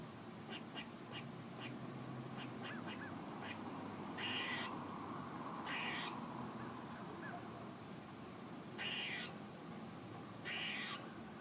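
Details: Squirrel giving a run of faint, quick chips, then four loud buzzy, rasping bursts spaced one to two seconds apart over a steady background hiss.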